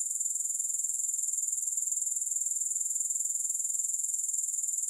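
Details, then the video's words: Continuous grasshopper chorus, music-free, meant for relaxing and sleep: a high-pitched shimmering trill pulsing evenly about twice per second, unbroken from start to finish with no other sounds. "3 Hours of Grass Hopper Sounds"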